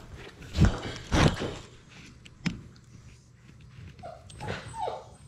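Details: Six-week-old Labrador Retriever puppies, a litter of six from Sadie, playing indoors: a couple of low thumping barks early, then brief rising whimpers near the end, with scuffling and bumping between.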